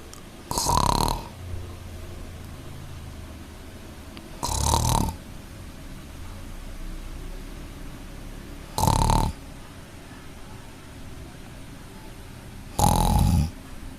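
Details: Sleeping kitten snoring: four loud, breathy rasping snores about every four seconds, each lasting under a second, with quiet breathing between them and no other sounds.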